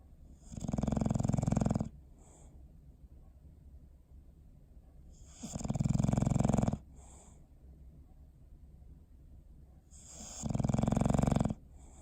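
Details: Sleeping pet dog named Bowser snoring on December 21, 2019: three strong, rattling inhaled snores roughly four to five seconds apart, each followed by a brief soft exhale, with little else heard.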